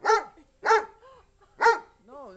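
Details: Great Dane making deep, hoarse barks, three loud bursts spaced about half a second apart, each trailed by a wavering moan, with a person speaking nearby.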